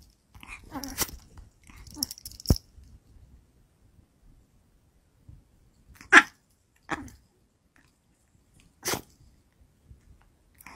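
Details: Chihuahua indoors giving a few short, sharp, isolated bursts spaced seconds apart, with long quiet gaps and faint bumping between them.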